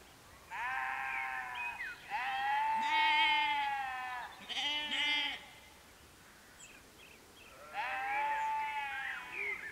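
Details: Loud, close bleating from a small group of sheep at Canons Ashby, West Northamptonshire, UK, at sunset: long quavering bleats in quick succession, a brief sharp call, a quiet gap, then one more drawn-out bleat near the end.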